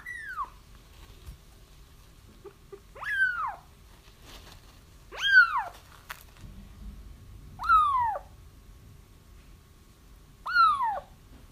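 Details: Kittens crying, played to lure a feral mom cat into a trap: five separate falling mews spaced a couple of seconds apart, with faint low rumbling background noise.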